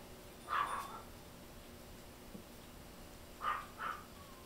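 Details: Fluffy silver toy poodle puppy toddling about, giving short high-pitched whimpering yips, one at the start and a pair near the end, separated by near-silence in a quiet indoor setting.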